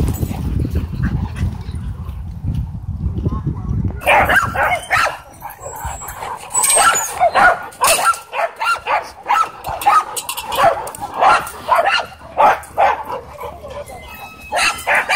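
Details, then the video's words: Doberman and Belgian Malinois fighting at a dog park, handled with e-collar correction: low rumbling noise at first, then from about four seconds a dense run of sharp, irregular barks and yelps, with people's voices mixed in. "Doberman vs Belgian Malinois Dogfight E-Collar Correction At Dog park"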